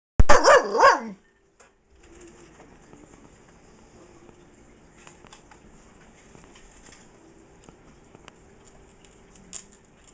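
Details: Female Bull Terrier puppy, almost five months old, indoors, vocalising in excitement because its owner has food, with other dogs present. One drawn-out, wavering, harmonic 'roo' lasting about a second, then a quiet room with faint rustles and clicks.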